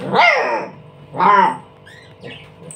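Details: During ball play a dog lets out two loud, drawn-out barks a second apart, harmonic and arching in pitch, followed by faint high chirps at the end.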